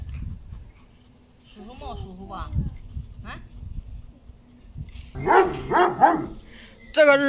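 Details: Golden Retriever Zhuangzhuang, excitedly greeting grandmother after several days apart and acting affectionate and clingy. High, wavering whines rise and fall early on, then a burst of sharp yelps and a final high whine, mixed with human voices.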